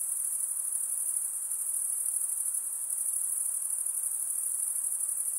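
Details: Insects calling at night: one sustained, piercing high trill without pauses, its rapid pulses blending into a smooth ringing tone over a gentle low hiss.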